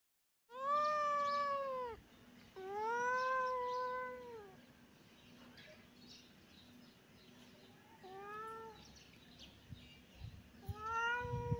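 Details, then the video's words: Kitten and cat playing together in a yard; four drawn-out, harmonic-rich meows, two long ones that rise then sag, then two shorter ones after a quiet stretch, over a low steady hum. "cat and kitten playing in the yard"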